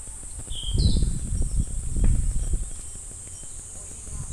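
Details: Summer cicada chorus at Namegawa Shrine, Sukagawa, Fukushima, Japan, a continuous high sizzling buzz without pauses; clear wind-chime rings near the start, over heavy low rumble from wind or handling.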